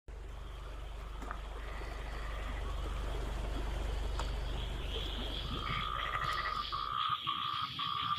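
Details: Frogs calling after the rain has stopped, answering one another; a steady low rumble fills the first seconds, then pulsed, trilling croaks build in overlapping bands toward the end.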